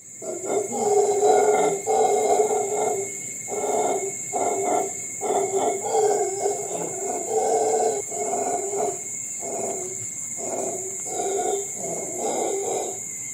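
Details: Wild howler monkeys giving a long run of deep, rasping roars in rapid pulsing bursts that barely pause across the whole stretch, over a steady high insect drone and a thinner mid-pitched insect tone.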